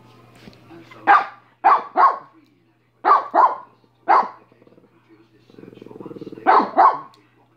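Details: Minnie, a dog, barks in pairs and singles, short harsh bursts spaced about a second apart, with a buzzing rattle rising just before the final double bark and a low hum throughout.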